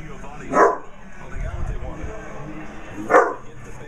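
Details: A Basset Hound puppy barks at a birthday card showing a basset hound, giving two short, sharp barks about two and a half seconds apart.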